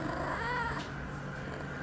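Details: Eight-month-old female cat in heat, two hours after her first birth control pill, September 23, 2011. A short harmonic, slightly wavering cry over constant low hum; her owner questions her afterward.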